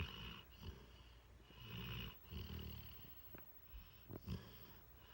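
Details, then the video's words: Mastiff mix dog snoring while lying on a person's lap: low, rough rumbling breaths repeating roughly every second or two, with soft higher hiss between them and a few brief clicks. "Snoring dog"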